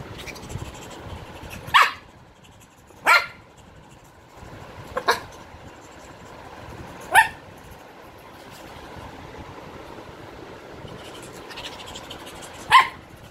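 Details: Whisky, a male Shih Tzu, gives short, sharp barks, single and irregularly spaced every one to five seconds.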